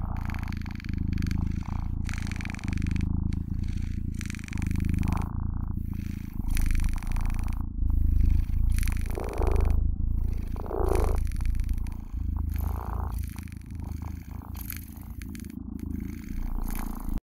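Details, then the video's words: House cat giving a deep, continuous purr, low throbbing rumble rising and falling with each breath, steady and near, occasional faint brushing sounds in the background. "Funny cat purr"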